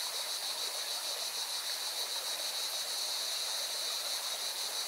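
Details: Singing cicadas beside a mountain river in Valencia, Spain: a steady, shrill high-pitched buzz with a fast pulsing rhythm, set over the constant broad rush of flowing water.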